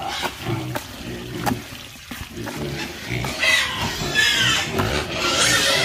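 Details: Pigs grunting in low, rapid, uneven bursts, then higher squeals building and overlapping in the final seconds.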